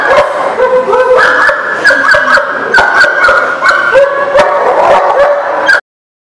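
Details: Dog recorded on 10/4/19, giving a loud, continuous whining with shifting, wavering pitch, broken by many sharp yips or clicks throughout, stopping abruptly just before six seconds.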